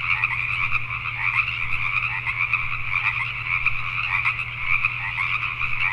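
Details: Nocturnal chorus of Pacific tree frogs recorded in Richmond, British Columbia, Canada: dense, high rasping croaks from many frogs blending into a continuous pulsing drone, accompanied by a low constant hum.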